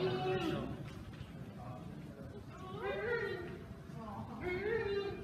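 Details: Giant panda Mei Xiang, a captive mother at the National Zoo in Washington, calls anxiously for her 18-month-old cub Bei Bei after their separation in early 2017. Drawn-out harmonic wails rise and then fall, with steady background noise.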